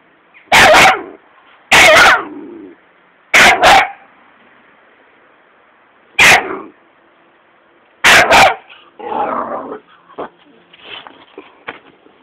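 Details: Fearless Patterdale terrier pup barking at a caterpillar: loud, sharp single and double barks spaced a second or two apart, followed by softer yips and whimpering sounds trailing off.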